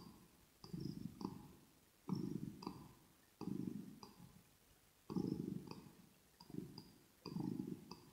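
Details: Close binaural ASMR of a kitten purring: rhythmic low rumbles in breath-length surges every 1.3 to 1.7 seconds, each surge split by small clicks, otherwise quiet room.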